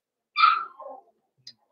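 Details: Blenheim Cavalier King Charles Spaniel puppy from a litter of five born at New Year, indoors in a puppy pen: one high harmonic yelp sliding down into a lower whine.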